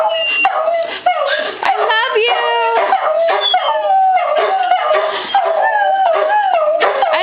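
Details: A pet Beagle, with a coonhound and a shepherd mix joining in, howls whenever told "I love you": long, bending, harmonic howls rise and fall continuously and overlap one another, the repeated spoken phrase mixed in.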